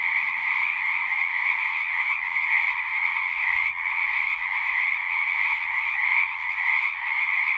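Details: Chorus of frogs at a pond in a horse pasture, Zoom 6 recording: a continuous trilling buzz with slight swells in loudness, plus faint low rumbling and a few soft knocks underneath.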